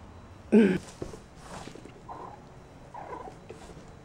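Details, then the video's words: Out and about, Persian kittens Nomad and Mariah give one short, clear wavering meow, followed by several fainter, softer mews spaced about a second apart against quiet background. "Out and about with Persian kittens Nomad and Mariah"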